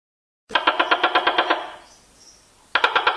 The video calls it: Tokay Colling